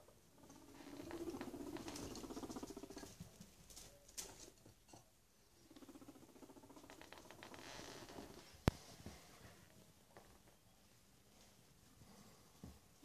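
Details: Two male pet guinea pigs returning indoors from daily outdoor time to a rearranged house, with soft chirping squeaks and rustling, pattering movement, plus one sharp click partway through.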